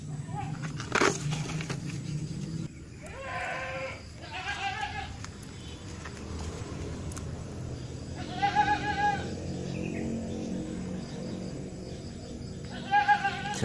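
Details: Baby kitten playing outdoors in a garden, giving three plaintive rising-falling meows spaced several seconds apart, with a sharp knock early on and soft background noise between calls.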